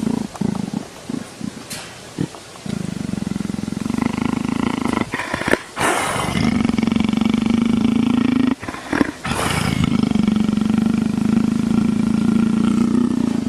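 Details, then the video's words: Leopard purring with pleasure while being scratched behind the ear, begging for affection like a tame house cat; a steady low rumbling purr runs through most of the recording, broken by a few sharp handling noises. "леопард кайфует"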